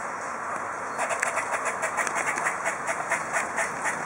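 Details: Squirrels fretting over Tigger, a local cat on the prowl, give a rapid run of harsh, noisy chattering pulses, roughly two per second, starting after a brief pause, over a constant hissing background.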